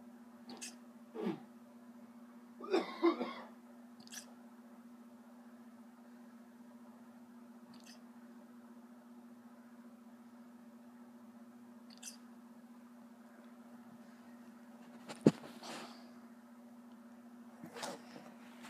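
A Basset Hound hiccups, with short, sharp little gulps spaced irregularly over a steady indoor hum.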